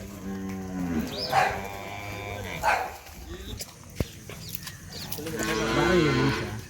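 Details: Hallikar cattle, a Karnataka breed, being taken from home toward Tamil Nadu: several drawn-out, harmonic lowing moos near the start and again toward the end, with people talking and rustling between calls.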